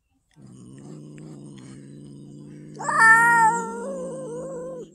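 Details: Domestic cat meeting another cat for the first time, giving a long low droning growl that rises suddenly into a loud, harmonic-rich wailing yowl, then eases back to a sustained moaning tone.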